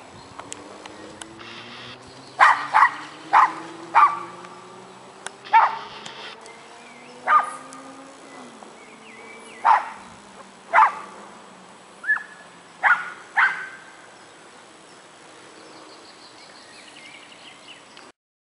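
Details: Central Asian Shepherd Dog, also called Alabai or Central Asian Ovtcharka, recorded on 26 May 2012 at Pentecost alongside a Chihuahua; about a dozen sharp barks come in irregular bursts, with a faint hum and a soft rising whine underneath.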